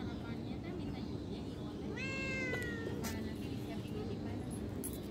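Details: A single drawn-out meow from a cat, rising then sliding down, set against low-level background hum and faint voices.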